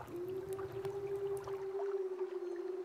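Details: A wild wolf gives a long, steady howl on one clear, smooth pitch, either signalling its presence to its pack or answering their unheard calls. Wolves within 6–8 km would hear and locate it.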